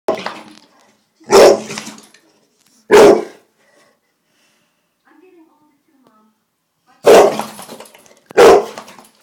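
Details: One-year-old bullmastiff barking at a hoover: four deep, loud, booming barks in two pairs, separated by a quiet gap of about four seconds, with a trailing bark fading at the start.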